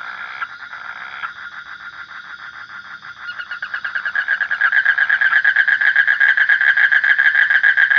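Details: A faint, droning frog call opens quietly, then builds into loud, rhythmic rasping croaks, around four pulses each second, growing stronger toward the close.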